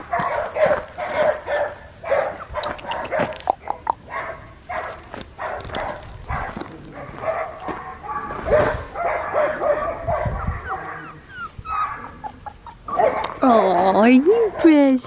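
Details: Four-week-old red tri male Australian Shepherd puppy on a farm in Tahlequah, Oklahoma, held and cuddled, recorded January 18, 2021; soft whining and short yips, with a woman's cooing voice and handling noises, ending in rising and falling whines.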